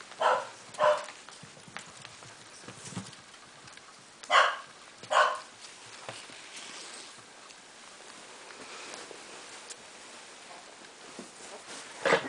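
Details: Cardigan Welsh Corgi puppies of a litter in Sweden squabble after visitors leave: short sharp yelping bursts come in pairs near the start and again around four seconds, with a final yelp at the end and quiet indoor hiss between them.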